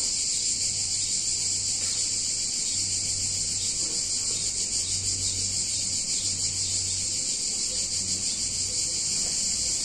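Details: Chorus of cicadas on a hot summer day in a picturesque Italian town: a dense, steady, high buzzing drone that pulses rapidly, with a faint low hum beneath.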